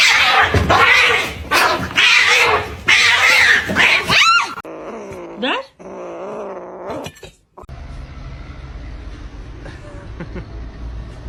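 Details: Kitten meowing: loud, harsh, drawn-out meows in quick succession through the first four seconds, then softer wavering cries, before a quieter stretch of low background hum.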